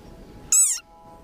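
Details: War cry of a very angry frog, a single brief shrill squeak that arches in pitch, followed by a faint steady tone in a quiet setting.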